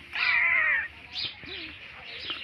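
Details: Hungry pet cat giving a loud, high, drawn-out meow with a bright harmonic tone, followed by two softer, shorter meows.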